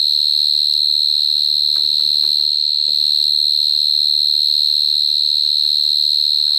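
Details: Cricket calling close up in 2022, an intense high whistle-like chirp that never stops, with a quick regular pulse, and brief faint clattering sounds in the background early on.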